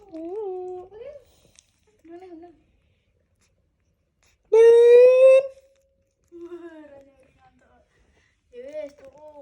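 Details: Baby monkey wanting to hug a boy: soft wavering whimpers, then a loud, slightly rising tonal wail lasting about a second, followed by more quiet, bending whimpers in a quiet room.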